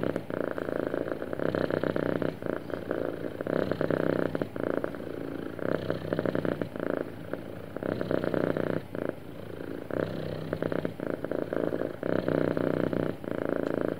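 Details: Smooth purring from a happy pet cat: a fine-grained low rumble repeating in even breathing cycles of about a second or two, sustained throughout, with nothing else audible.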